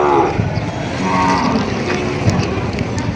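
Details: Cattle at a livestock market in Padre Garcia, Batangas, Philippines, on July 17, 2026, where breeding cows and heifers are sold; a short, low harmonic moo opens the clip, then men talking over prices continue over busy market noise.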